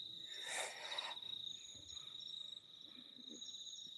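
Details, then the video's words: Crickets on a warm, cloudy night in suburban Auckland keep up a continuous shrill, even-pitched trill, briefly overlaid early on by a short burst of broad rustling noise before the trill carries on alone. "Yeah, but it is warm, and you can hear the crickets."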